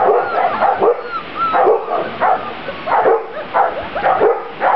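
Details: Grand Basset Griffon Vendéen puppies from one litter, outdoors for the first time on 23 June 2009, giving a steady stream of high, bent yips and squeaky whines that overlap one another with barely a pause.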